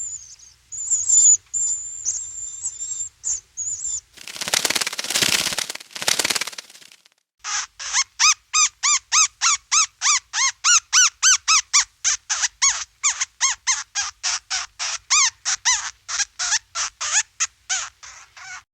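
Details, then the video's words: Bat echolocating at night while navigating and hunting in the dark: a rapid, steady series of short, harmonic, downward-sweeping clicks, about three per second, follows high thin whistles and a loud broadband rushing burst. "The Mysterious Sounds of Bats | Echolocation in Action!!"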